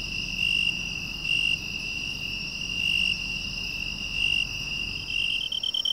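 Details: A broad-winged tree cricket, commonly heard in the lowlands of western Japan, sings a steady, pure, high-pitched trill that swells gently in loudness.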